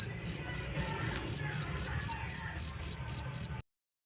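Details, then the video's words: A jangkrik cricket, a master sound for songbirds, delivers about fourteen bright high chirps in quick even succession, then falls silent for the last half second. "Benar benar merdu ngerik nya sang masteran burung kicau"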